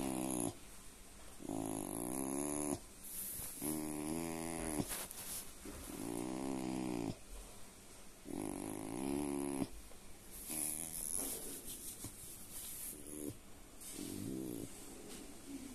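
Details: Collie said to purr, recorded 27 January 2023; repeated low, throaty rumbles roughly every two seconds, each a vibrating, snore-like breath, with hissy background noise between.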